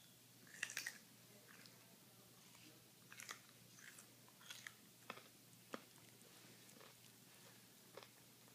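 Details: Toy poodles kept as pets munch on carrots. Crisp, scattered crunches and snaps come at uneven intervals, with a busy cluster early on and softer bites after, against a quiet indoor background.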